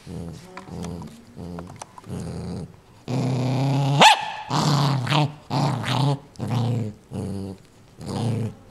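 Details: Pet dog Ninja growls while guarding a new toy it wants nobody near: deep rumbling growls in bursts of about a second, with a louder, rising snarl midway and brief pauses between bursts.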